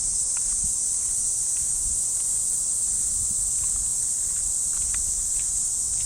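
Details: Unbroken high-pitched droning of cicadas in a Japanese park at early morning in summer, holding level throughout, while light footsteps crunch along the path beneath the chorus.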